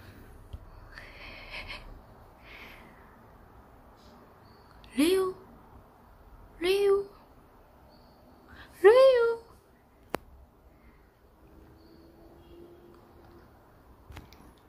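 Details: Pomeranian named Leo, four years old and described as always hungry, filmed at home. Three short, high whining yips rise sharply in pitch, spaced about two seconds apart, with faint voices and soft room noise before them.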